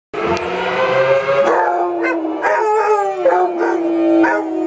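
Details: Two Basset Hounds, Ferguson and Bonnie, howl along with the Hutchinson, Pennsylvania volunteer fire department siren; long wavering tonal howls with rich harmonics slide and rise, overlapping in a loud continuous chorus with a few abrupt pitch jumps.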